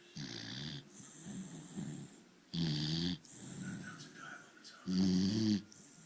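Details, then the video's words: Snoring from a sleeping dog, deep rattling breaths coming in uneven bursts roughly every one to two seconds, the strongest near three and five seconds, with a steady background hiss. "Dog snoring"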